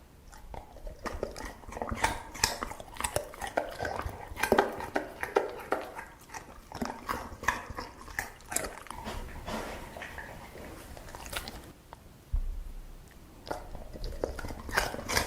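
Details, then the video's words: Dog eating, with a steady run of crunchy chewing and biting clicks, irregular and dense throughout, with short quieter gaps and a few sharper louder bites. "냠냄 먹는게 젤 좋아!"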